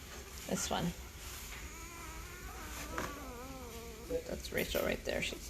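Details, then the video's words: Five-day-old Great Bernese puppies, a cross of Great Pyrenees mother Lacey and Bernese Mountain Dog father Castle, getting noisy: faint, wavering, squeaky whines rising and falling in pitch, with scattered clicks and a low background hum. "Great Bernese Puppies are 5 days old and getting noisy!"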